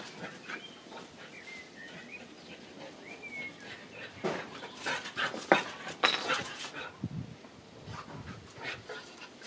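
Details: Unhappy Boxer puppy at an SPA animal shelter, giving a few thin, high whines that rise and fall, followed by bursts of scuffling and panting-like noise in a small room.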